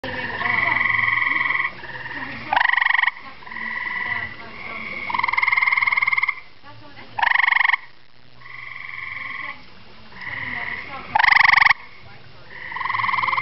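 A gray tree frog gives musical, birdlike trills, each lasting one to two seconds, with louder bursts between them.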